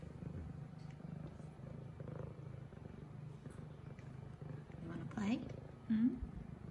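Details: F2 Savannah cat Zara, a female, purring while playing with her new toy; a steady low rumbling purr throughout, with a person's voice talking to her and two brief rising sounds near the end.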